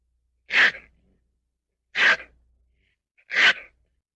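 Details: Three quick, breathy sneezes from a ferret, evenly spaced about one and a half seconds apart, with quiet between them.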